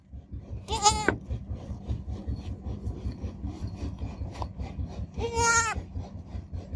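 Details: Baby goat kid giving two quavering, wavering bleats about four seconds apart, one early and one near the end, each under a second long, over a constant low rumbling and rasping background noise.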